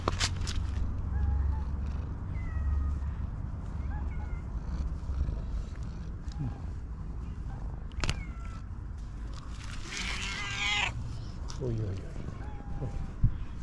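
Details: Calico cat meowing loudly while jealously keeping other cats away from her owner; a few short rising meows over a low steady hum, with a woman coaxing the cats and a brief scratchy rustle.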